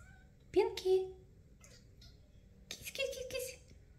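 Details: Pinky, a 28-day-old kitten born to Melania, indoors and coming out of her nest to run after her owner while meowing: two short high mews close together, then a longer drawn-out mew about two seconds later, with a light clatter.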